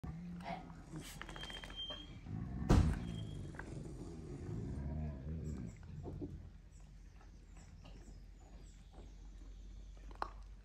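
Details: Reina, a female Kangal, guards her food from Vurgun, another dog: one sharp, loud burst, then a deep, harsh, rumbling growl that lasts a few seconds and fades into quiet room noise.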